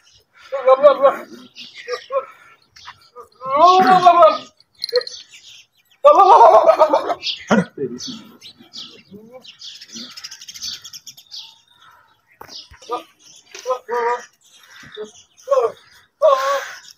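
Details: Several goats in open fields calling repeatedly: short, trembling bleats of varying pitch scattered through the recording, some overlapping, with rustling and scuffing sounds between calls.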